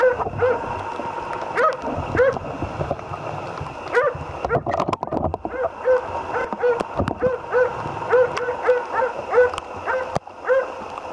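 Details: Barks from Otis, a Jämthund, on a moose hunt, coming roughly every second and quickening toward the end, with rustling, a brief voice-like murmur and a constant background hum.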